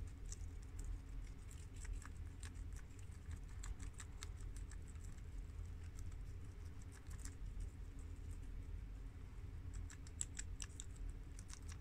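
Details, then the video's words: Guinea pigs, two males and two females including American, mini yak and Abyssinian breeds, chomp freshly washed romaine from the garden; light, steady crunching ticks spread throughout, with denser bursts near the end, against a low drone. "Adorable Guinea Pigs Eat Romaine Lettuce for 10 Minutes!! Cute Munching Sounds!!"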